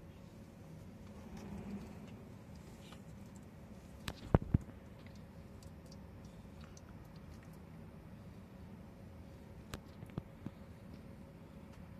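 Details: Quiet indoor background hum with a steady low tone and a few faint clicks near the middle and end, with no animal calls.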